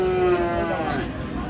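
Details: Sahiwal bull calves at a cattle market in Aftabganj, Dinajpur, Bangladesh; a low, drawn-out moo of about a second and a half with rich harmonics, over steady crowd chatter.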